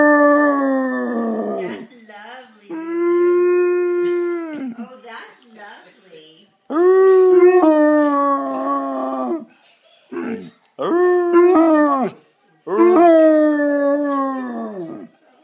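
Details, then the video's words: Singing from an 11-year-old Basset Hound: a run of five drawn-out, mournful howls, each slightly falling in pitch and lasting one to three seconds, broken by brief gaps and small clicks indoors. "Bassett Hound howling"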